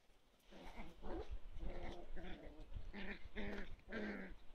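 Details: Toy poodle growling in short, low, voiced bursts that come in quick succession, with some bursts carrying a brighter upper edge toward the end.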